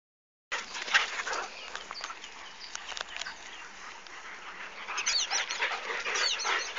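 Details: A Podenco playing with other dogs gives quick, scrappy yelps and play barks with rising whines, mixed with scuffling noises.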